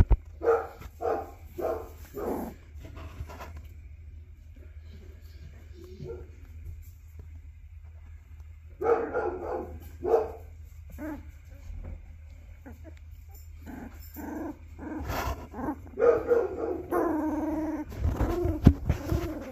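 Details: Two-week-old black Labrador puppies in a winter litter in Colorado, USA, eyes just opening and learning to crawl, giving short squeaky calls in bursts, with gaps of quiet and a low hum beneath.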